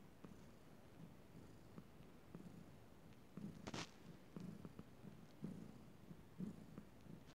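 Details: Cat purring softly at night, a low rumbling purr with faint pulses about once a second, quiet background hiss and one brief rustle in the middle.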